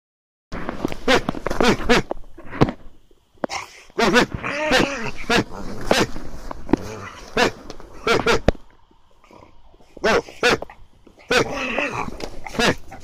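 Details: Ainu dog worked up into an excited state with a heat-up command, giving sharp clipped barks and short growling bursts in irregular clusters, with gaps of quiet between, a man's voice nearby.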